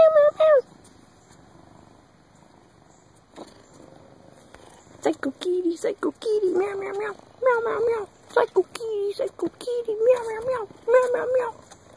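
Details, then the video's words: Psycho, a fat 20 lb black cat seeking affection, gives one short meow, then after a quiet gap a rapid run of wavering, chirpy meows and trills, some rising then falling, closely spaced with brief pauses. "Psycho kitty wants love"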